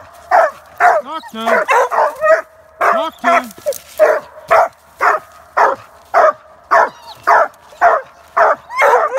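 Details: Treeing Walker Coonhounds barking loudly and steadily, a full-throated bark roughly every half second.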